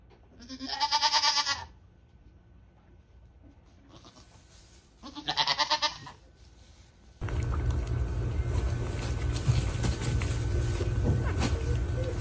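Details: Baby goats on a farm giving two quavering, harmonic-rich bleats about four seconds apart, each lasting roughly a second, before a loud steady broadband rumble takes over for the rest of the recording.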